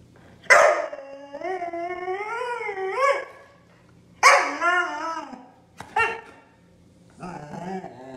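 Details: Siberian Husky throwing a fit about not going out, screaming in long wavering harmonic wails that rise and fall, three loud drawn-out outbursts followed by a shorter yelping call, quiet pauses between.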